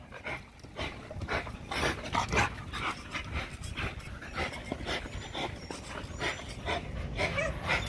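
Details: Spring pole exercise session for an XL American Bully pitbull: heavy, hoarse breaths come about twice a second in a loose rhythm, over a steady low rumble of movement.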